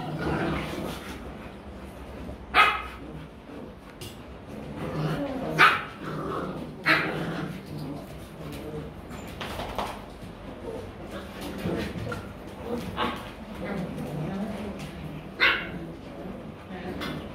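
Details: Young Rottweilers in Vietnam playing and play-biting: sharp, high yelping barks burst out every few seconds, about six loud ones, between softer grumbles, while a person speaks to the puppies.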